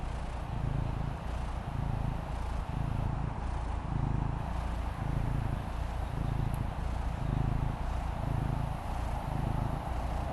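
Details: A relaxed female Maine Coon kitten named Fendi purrs on the patio, a low vibrating drone pulsing regularly about every second, with steady outdoor background hiss and a brief high click.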